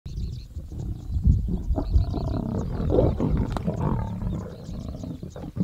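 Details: Three male lions, an older male and two brothers, squabbling over a kill at Namiri Plains, Serengeti, Tanzania: deep, rumbling growls and snarls overlapping continuously, with sharper louder bursts in the middle.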